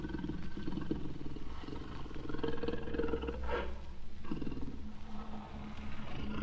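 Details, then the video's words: A jaguar's throaty, rasping growl, low and continuous, swelling and easing over a few seconds. "jaguar sounds vol 2"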